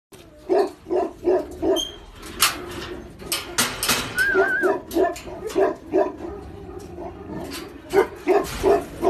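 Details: Tibetan Mastiff barking in a fast, fairly regular series of short, deep barks, about a dozen over nine seconds, with brief pauses and a few clicks and knocks between them.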